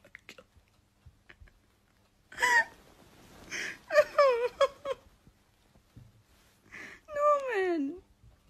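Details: Pet cat indoors giving several short, nasal meows and then a longer meow that rises and slides down in pitch, with quiet gaps between calls and faint room noise.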